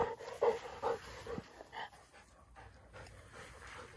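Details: Great Pyrenees puppy named Daisy panting while playing soccer; quick breathy pants at roughly two per second, loudest in the first second and a half, then fading into soft background rustle.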